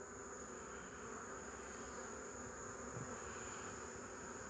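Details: Honey bees on 8 March 2015 fill the air with a uniform, many-winged hum, steady in pitch and loudness, with one faint low thump near the end.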